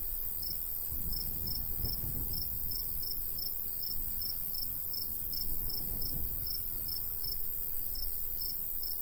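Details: Crickets in a golden wheat field in the summer countryside, a light breeze blowing; short, high, evenly spaced chirps repeat about four times a second over a soft low rumble of wind.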